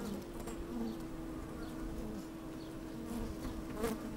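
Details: Inside an opened beehive on a sunny, slightly windy day, honey bees move about with a continuous low hum, broken by brief higher buzzes of individual bees and faint clicks.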